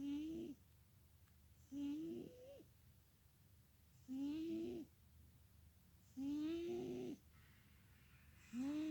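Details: Sleeping domestic cat snoring loudly indoors: rasping, tonal breaths recur about every two seconds, each roughly half a second to a second long with a rising pitched whistle, quiet pauses between, five snores in nine seconds.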